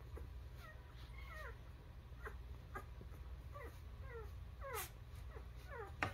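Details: Newborn puppies cry in thin, high squeaky whimpers that slide downward, several overlapping in quick bursts about every half second, over a low steady hum with soft rustling and a few clicks.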